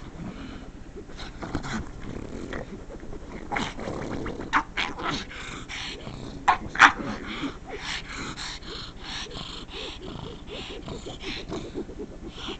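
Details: Female pet pug reacting to couch scratching she dislikes, giving a long, steady, rumbling growl broken by a few brief sharper yelps, with scratching noise in the background.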